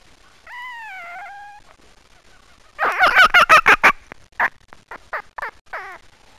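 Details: A fox gives a drawn-out, slightly rising whine. It then breaks into a quick burst of sharp, chattering barks, followed by several separate yelps that thin out over the last few seconds.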